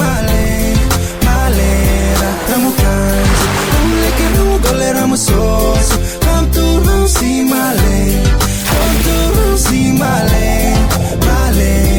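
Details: Loud, beat-driven pop music with steady bass and layered instruments fills the whole stretch, with no animal voices.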